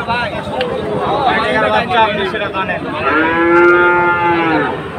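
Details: Sahiwal bull at the Ambari cattle market on Monday 24 July, with traders from Chattogram buying; a long, loud moo with rich harmonics that holds steady then falls slightly, after shorter bellowing sounds over a murmuring crowd.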